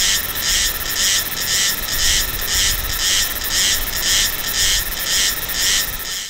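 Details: In Taiwan during November and December, a Meimuna cicada keeps up a steady quacking song, throbbing buzzy pulses about twice per second over continuous high-pitched hiss, slightly varying in pace.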